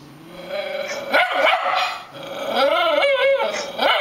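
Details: Rat Terrier named Catfish, a pet dog, going wild while watching another dog bark on a computer monitor: excited, whiny barks and high yelping cries in uneven bursts, with pitch sliding up and down.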